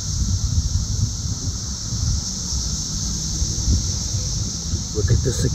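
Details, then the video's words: Cicadas buzzing in a south-suburban Chicago, Illinois yard on June 3, 2024: a continuous high, even drone behind heavy low wind rumble and a man speaking close by. "Cicada Mania! Very Loud and Active!"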